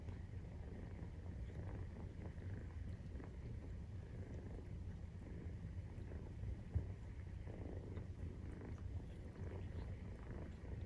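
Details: Maine Coon cat purring while nursing, kittens 43 days old; a soft, low, continuous rumble with slight swells and one short knock near the middle.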